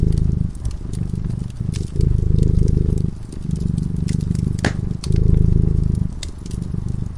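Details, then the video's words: Low rhythmic rumble of a cat purring as it sleeps near the hearth, breath-by-breath surges of the purr every one to two seconds, with the fire's crackles and an occasional sharp snap. "Purring cat"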